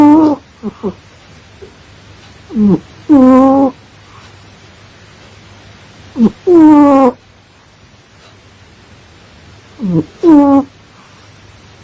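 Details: Sleeping pet cat snoring in a steady breathing rhythm, each cycle a short upward squeak followed by a drawn-out buzzy harmonic tone, recurring about every three and a half seconds.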